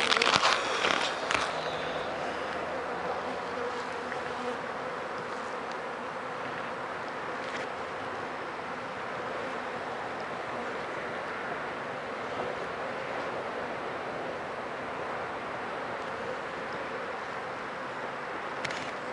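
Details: Honey bees at a hive with many dead bees out front after four days of rain, checked for sickness; a steady, dense mid-pitched hum runs throughout, with brief louder rustles and knocks at the start.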